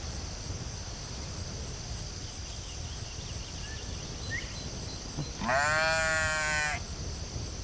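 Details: Sheep in a field giving one loud, wavering bleat of rich stacked harmonics lasting just over a second, after several seconds of quiet, with a steady high insect drone and faint chirps in the background.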